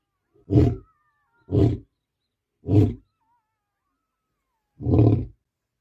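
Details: Protective male lion in Botswana, near his cubs and their mother, giving four heavy, low grunts spaced roughly one second apart, with a longer pause before the last; a faint high whistle-like tone drifts in the background.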